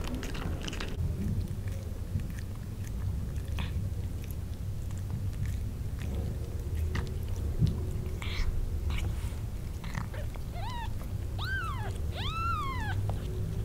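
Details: Newborn kittens cry for their mother, wanting to suckle. Steady suckling and chewing noises fill most of the stretch, then near the end come three or four short, high, rising-then-falling mews in quick succession.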